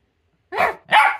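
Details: A pet Jack Russell Terrier trades barks with its owner in a barking competition, giving two strong, rough barks about a third of a second apart after brief silence.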